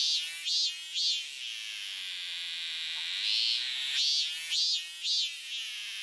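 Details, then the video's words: Cicada filmed singing close by in a Japanese inn garden in August 2020: continuous high buzzing drone swelling into rhythmic louder pulses roughly twice a second, agitated by an approaching person. "その本人はどこにいんのかな?あ、いた、いた。泣いてる、泣いてる。"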